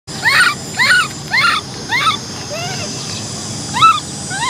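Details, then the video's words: Baby macaque named Cola, an orphan, crying because she wants to ride a bike; a series of high, arching whimpered cries, rising then falling, repeated roughly twice a second with short gaps, over a steady background hum. "Cola monkey cries because she wants to ride a bike! Baby Cola cries"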